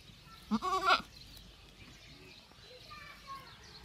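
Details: Young goats eating grass and playing in a field; one loud wavering bleat lasting half a second, rich in stacked harmonics, then quieter background with faint bird chirps and distant voices.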